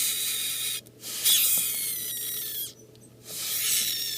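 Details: Captive baby super snow leopard gecko (Eublepharis macularius), a female about a week old, hatched mid-August 2013. She gives harsh, hissing screeches in three long bursts with short pauses, defensive screaming when approached or sprayed with water.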